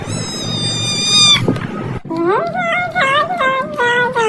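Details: Domestic cat in a funny home scene giving a run of short, wavering meows in quick succession after a sustained tonal sound and a brief break, with background noise throughout.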